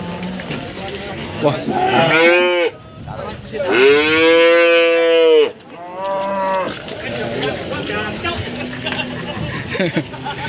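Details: Cows for breeding at an East Java cattle market in Nganjuk, Indonesia. A run of three or four resonant moos, the longest about two seconds, followed by busy market clatter and voices.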